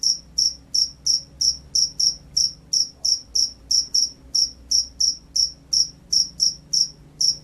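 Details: Field cricket (jangkrik sawah), a gacor lively singer, produces a regular train of shrill high chirps, about twenty-two at roughly three per second, over soft low rumble.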